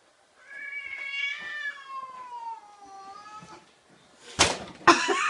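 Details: Indoor cat confronting a cat-shaped balloon: a long drawn-out meow with stacked harmonics, holding level then sliding slowly downward, followed by two sharp rustling bursts as the balloon is moved.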